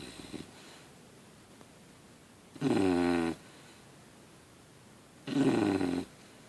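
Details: Sleeping English Bulldog puppy snores in a quiet room, giving loud, tonal, slightly whistling snores lasting under a second, spaced about two and a half seconds apart.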